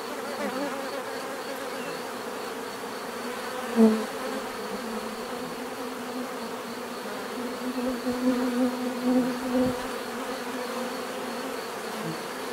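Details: Many bees drone steadily, a soft layered hum; several close individuals flick past with short louder buzzes, one sharp pass early and a cluster of wavering near flights later on.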